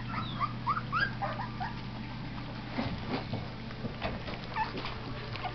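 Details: Young Australian Cattle Dog pups, Blue and Red Heelers, eating with Texas Heeler half siblings from a winter 2011 litter; thin rising whistled whines cluster in the first second, then scattered quieter squeaks over a constant hum.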